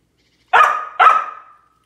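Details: A pair of quick, ringing barks from a Samoyed chasing squirrels during quarantine, the second following about half a second after the first, with silence before and after.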